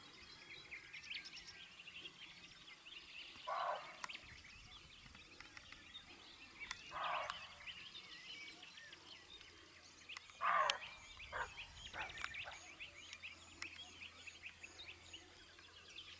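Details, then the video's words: Female roe deer barking with a male present, 16 May 2022: three hoarse, rough barks spaced roughly three and a half seconds apart, with steady chirping birdsong throughout. "Corzo ladrando"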